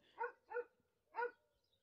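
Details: Dogs barking in the distance near a herd of sheep, said to belong to the herd's owner: three short, quiet barks, two close together and then a third after a pause, over a near-silent background.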